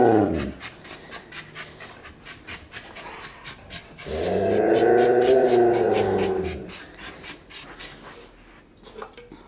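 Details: Pet dog Daisy indoors at dinnertime, waiting while her food is fetched: quick rhythmic panting runs throughout, broken by a brief voiced sound at the start and a drawn-out low whining groan lasting over two seconds midway.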